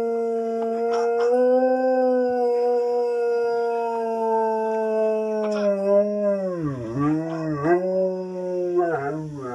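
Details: Blitzen, a male Alaskan Malamute indoors, howls on hearing his own recording played back: long, steady, mellow howls, then wavering, dipping and sliding phrases with short breaks, loud and clear.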